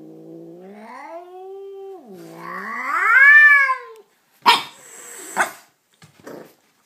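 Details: An angry chocolate-coloured Persian cat gives a long, wavering moan that swells and falls, then two sharp hisses.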